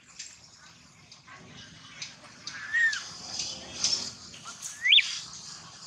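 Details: Baby monkey crying loudly over a long stretch: short arched whistly cries, then a quick upward-sweeping squeal near the end, over a steady high hiss of outdoor background.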